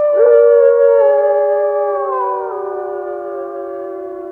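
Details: Wolf giving a single sustained howl: a clear, pure tone that starts strong, steps down in pitch about halfway, and then holds low and steady while slowly softening.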